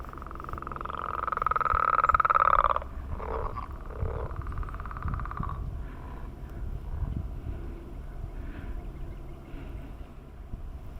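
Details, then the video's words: Frog on a millrace in the morning giving a mating call: a loud pulsed trill for nearly three seconds, followed by short croaks and faint distant trills over low rumbling noise. "Enjoying The Mating Call of Frogs on the Millrace"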